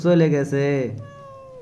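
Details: Cat chased by a dog straight to the top of a bael tree: two loud, drawn-out, harmonic meows, the second slightly rising, followed by a steady musical tone.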